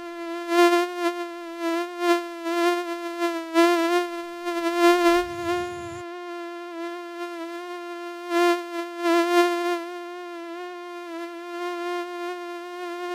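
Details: Mosquito buzzing as it flies, an unbroken high-pitched drone with many harmonics and gentle pulsing swells, interrupted by a brief scratchy noise around five to six seconds.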